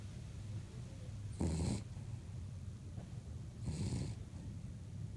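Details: Cavapoo named Ruby snoring, two long raspy breathy snores a couple of seconds apart against a low background drone.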